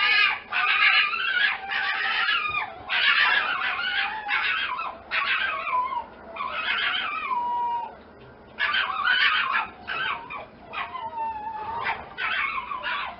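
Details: A fox making a dense run of overlapping screaming, whining yelps. Some calls bend downward, and they come in bursts with brief pauses over a low background hum.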